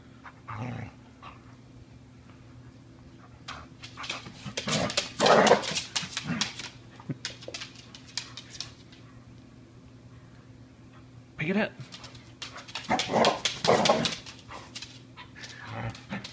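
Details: Ramona the Border Collie plays tug with her rope indoors, letting out rough growls, snarls and grunts in two busy clusters separated by quieter rustling, while a person urges her to pick it up and give it over.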